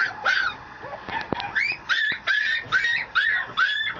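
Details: Male Mameshiba puppy, a small Japanese Shiba-type dog, giving a run of high, rising-and-falling whining yelps about every half second, with a few sharp clicks between them.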